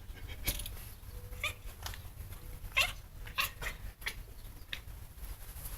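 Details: A pet cat calling excitedly after seeing a bird outside, giving a series of short, sharp, squeaky chirps and chatters at irregular intervals, indoors.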